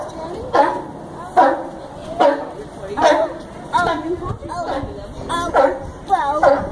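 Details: Barking sea lion at Chicago's Brookfield Zoo: a steady series of gruff, honking barks, roughly one each second, with people talking softly in the background.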